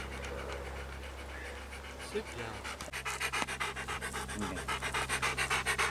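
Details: Male Labrador cross, ten years old, living at a shelter and out for a walk; fast, even panting breaths build up strongly in the second half, over a constant low drone with some speech early on.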